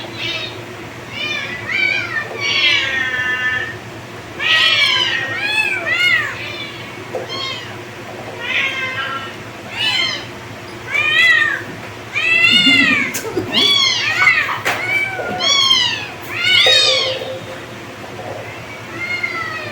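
Kittens give high, thin meows in quick succession, several voices overlapping.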